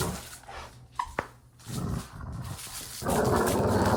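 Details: Dog growling while playing: a quiet start with a short tonal squeak, then a brief low rumbling growl near the middle and a louder, rough, sustained growl over the final second.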